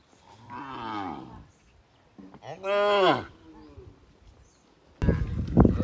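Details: A village cow in the countryside gives two separate drawn-out moos, the second louder and arching in pitch. A short burst of harsh noise follows.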